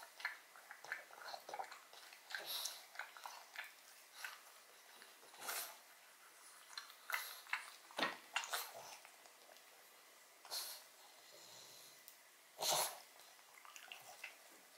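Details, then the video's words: Close indoor recording of Odin, a pug, working on a marrow bone: moist smacking chews interrupted by several loud hard crunches of teeth on bone, spaced unevenly. "Dog Eats Bone Marrow [Pug/Mukbang]"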